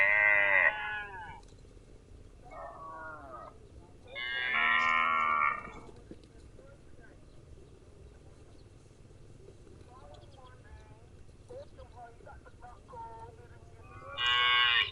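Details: Cow mooing in loud, drawn-out, harmonic calls: a short one at the start, a softer one near three seconds, a long loud moo around five seconds and another at the end, with quiet stretches between.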